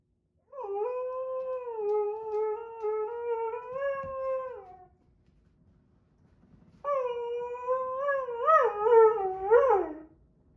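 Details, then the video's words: A Husky-Malamute mix howls in displeasure while a Husky and a Doberman play nearby. There are two long, rich, harmonic howls. The first is steady for about four seconds. The second, after a pause, wavers and bends up and down before dropping away. "Husky, Malsky, and Doby Play and Sing"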